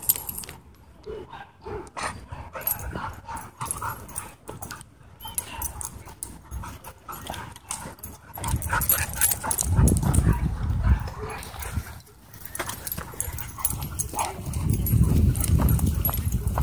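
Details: A pair of dogs testing their battle skills in a dog park: scattered soft snuffles and yips at first, then two loud bouts of deep, grumbling growls toward the end.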